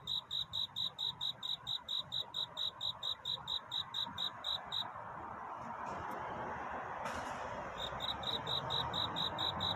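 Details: Cricket chirping to seek love at night. A steady string of sharp, high chirps breaks off under a rising wash of hissing noise with a couple of clicks, then the chirps start again.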